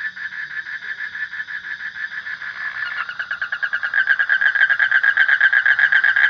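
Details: Rapid rasping pulses from a frog, starting softer and blurred, then growing louder with clearly separated beats, about four per second.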